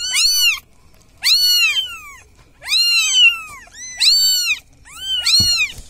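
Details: Village cat crying for help: five loud, drawn-out meows, each rising then falling, spaced about one second apart, with quiet pauses and a brief low thump near the end.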